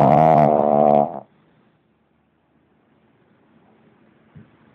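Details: Lenon the pug asleep and snoring hard: one loud, buzzy, richly layered snore lasting about a second, then near quiet with a faint soft click near the end.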